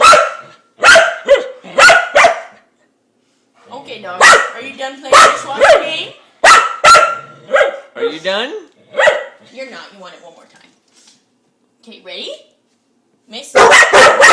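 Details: Female pet dog barking at a dishwasher spinner she is fascinated by, wanting to play; loud sharp barks in clusters separated by quiet gaps, mixed with a woman's talking and a final burst of barks.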